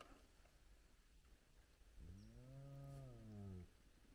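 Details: Spotted hyena from a big clan gathered at its den with lively cubs, at sunrise. After two seconds of quiet, one low, tonal moan rises, holds steady briefly and slides down, lasting about a second and a half.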